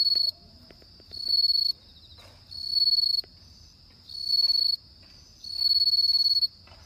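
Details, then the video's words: Autumn-night bell cricket song: a steady series of high, ringing pulsed trills, each lasting under a second and following one another at even intervals, with a few faint clicks and knocks in the background. "鈴虫の鳴き声 秋の夜"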